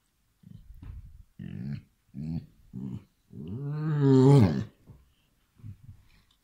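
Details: Bodo, a Basset Hound, gives a run of deep, gruff barks, then one long, drawn-out baying bark, reacting to an "attacking" hand in play.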